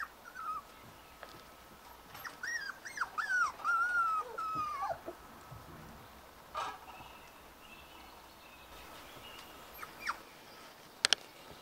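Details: Shetland sheepdog puppies, spring 2020: a run of high, wavering whimpers and squeaks between two and five seconds, then quieter scattered squeaks and a few sharp clicks over a steady hiss.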